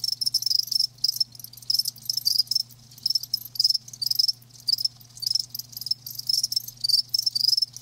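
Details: High, shrill cricket chirps from live insects arrive in clustered pulsing bursts about twice per second, some callers overlapping into a continuous ringing trill; a soft low hum persists underneath.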